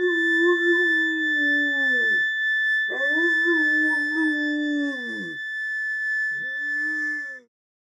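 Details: Landseer Newfoundland named Chester singing along to a harmonica with three long, mournful howls, each holding steady before dropping away at the end, over a single sustained high harmonica note.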